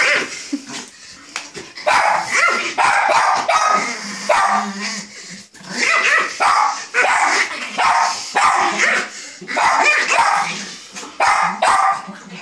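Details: Angry Chihuahua barking in rapid, sharp yaps that come in quick runs and short pauses throughout, with a brief low, steady growling tone in the middle.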